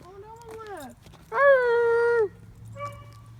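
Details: Dogs 'talking' in long howl-like tones: a smooth falling wail, then a steady sustained note held close to a second, followed by a short quieter echo of the same pitch, over faint outdoor background hum.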